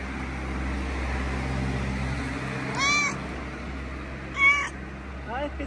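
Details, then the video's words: Mother cat, a street cat in Morocco, talking about her family: two short harmonic meows near the middle and end, with a faint third at the close, over steady low hum, while a person greets her softly nearby. "Mama Cat couldn't stop talking about her sweet little family."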